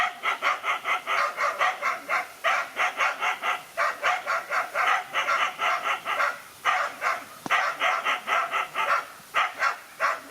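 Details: A dog taking on two male dogs alone in a fight; fast, rhythmic harsh barks repeat several times a second almost without pause, with a sudden click partway through.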